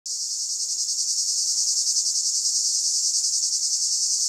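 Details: A cicada in summer 2015 in Italy sings a steady, high, hissing buzz with a fast pulsing throb.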